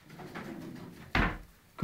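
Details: Jack Russell Terrier indoors, sneezing on command after being told to sit: a sharp broadband burst, then a second shorter snort moments later, in a quiet room.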